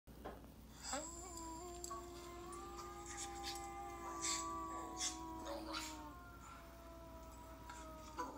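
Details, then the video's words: Two West Highland White Terrier brothers howling together: long sustained harmonic tones that rise at the start, hold steady for several seconds, then waver and fade, with faint music underneath. "Westie Dogs Howl"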